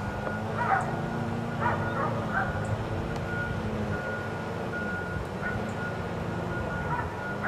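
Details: Dogs kept outside all day at a neighbor's, giving scattered distant barks, single or paired yaps every second or two, then a pause before a few more, against a constant low droning hum in the background.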